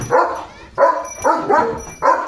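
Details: Pet German Shepherd named Leo, romping about with a water mug held in its mouth, gives four loud, full barks about half a second apart, each a rich harmonic burst.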